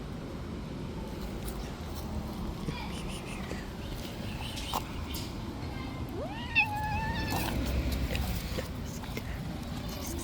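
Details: A street cat that played too rough and injured a hand gives one drawn-out, wavering meow near the end, with a fainter call earlier, over a steady low rumble of outdoor background noise.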